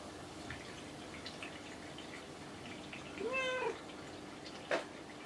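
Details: Kinako the house cat replying as other cats' names are called: quiet room noise, then one brief arched meow, ending with a sharp tap.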